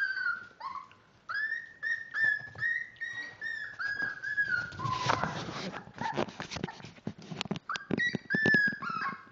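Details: Miniature Dachshund puppies, 5 weeks old and born March 30th, whimper and squeal in high, drawn-out, slightly falling cries.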